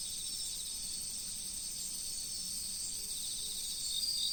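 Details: Insects calling in autumn beside a river: a steady, unbroken high shimmering chorus layered in several bright tones, with no clear separate pulses and a faint soft background hiss.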